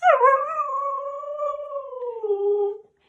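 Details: Siberian Husky Mika, vocal after a walk spent seeing squirrels, gives one sustained howl that starts with a high dip, holds a fairly steady tone for two seconds, then sinks lower and fades.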